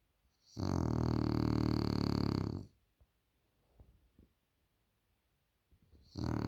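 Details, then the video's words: A French Bulldog snoring loudly indoors: one long, harsh, rasping snore lasting about two seconds, followed by soft snuffles and quiet breathing, then the next snore beginning. "The French Bulldog Snores Too Loud"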